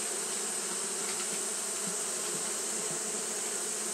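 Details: Japanese honey bees fanning on a hot day: a continuous, layered buzz with a few brief louder wingbeat pulses near the middle, over a constant high hiss.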